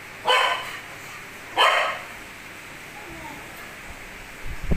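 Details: Domestic dog almost two years old barks to summon its owner for the trash; two sharp, clipped barks roughly 1.3 seconds apart, then a quiet room with a faint thump at the end.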